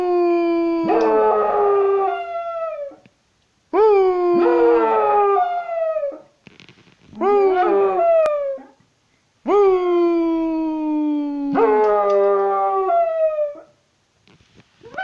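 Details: A one-year-five-month-old patterjack dog howls as if singing along: five long, drawn-out harmonic howls, each two to three seconds long, sliding gently downward and separated by short silences. Some howls open with a brief rising yelp.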